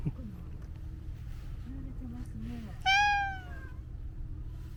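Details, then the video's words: After some faint low murmuring sounds, a domestic cat lets out one loud, long meow that starts high and sinks gradually, over a low background hum. "猫ちゃんの鳴き声特集 その２（黒猫ちゃん、アイドル猫ちゃん、茶トラ猫ちゃん） 【Cat barks special feature ２】"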